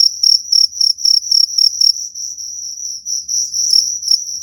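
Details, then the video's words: Cricket chirping aimed at driving rats away: fast, high pulsed chirps for two seconds, then a smoother continuous trill with a few chirps returning at the end. "Suara jangkrik pengusir tikus"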